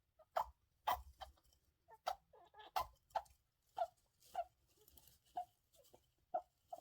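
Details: Sick pet hamster with a cold making worrying noises: short sharp sneeze-like clicks and snorts, irregularly spaced about every half second, quiet and close, in a small indoor space.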